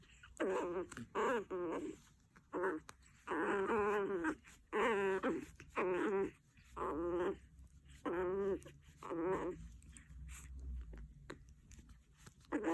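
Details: A Chihuahua, described as angry, makes about ten irregularly spaced bursts of vibrating, wobbling growl-whine over roughly twelve seconds, with the later bursts growing fainter and a low rumble underneath.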